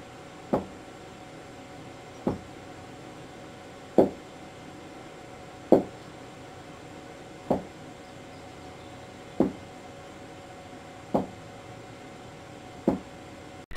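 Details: A domestic pet rabbit thumps its hind foot in dull, single knocks roughly every two seconds, possibly reacting to the camera as an unusual object in its environment; thumping signals alarm, fear, annoyance or a demand for attention.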